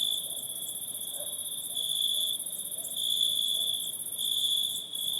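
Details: At night in a forest, a steady, high-pitched insect chorus trills continuously, with a fainter shimmering buzz above it.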